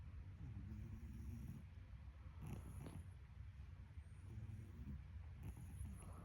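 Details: Domestic cat snoring in sleep, soft grating inhale-exhale cycles recurring about every one and a half seconds, low and breathy, with a quiet background hum and thin high-pitched tones accompanying each breath.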